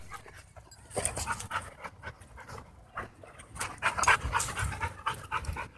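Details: Dogs playing at a dog park let out harsh, grinding growls and odd wheezy noises in rapid uneven bursts, mixed with panting and scuffling.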